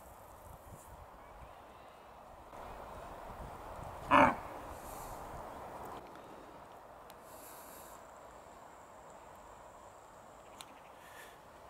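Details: Red deer hind in Bristol, England, on 21 September 2015, giving a grunt-bark that warns her companions of a wildlife film-maker: one short, harsh, loud bark about four seconds in, standing out against a quiet outdoor background with faint rustling.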